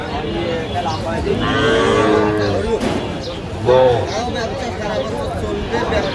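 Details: Cattle, young bull and heifer calves, at the Aftabganj livestock market near Dhaka, Bangladesh, held Saturdays and Tuesdays, on Saturday 9 November 2025; two drawn-out harmonic moos, the second rising sharply, over a busy crowd murmur.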